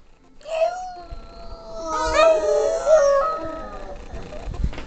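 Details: A female Boston Terrier howls in long, wavering, tuneful notes, singing a duet with a person.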